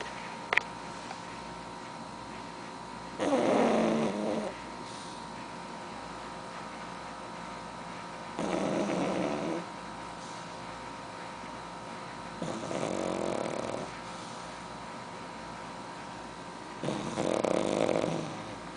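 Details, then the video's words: Sleeping pug snoring indoors: four long, rasping snore bursts, each about a second or more, spaced roughly every four to five seconds with quiet breathing between. "Pug dormindo e roncando"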